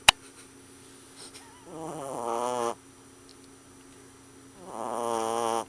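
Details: Loud snoring from a small puppy fast asleep: two drawn-out grating, harmonic breaths, each a second or more, separated by quiet pauses, after a sharp knock at the start.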